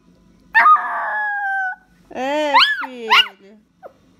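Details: Dog calling out to its owner with a sustained tonal howl, then two shorter arched, rising-falling yowls in quick succession that sound almost like speech. A faint brief squeak closes the sequence.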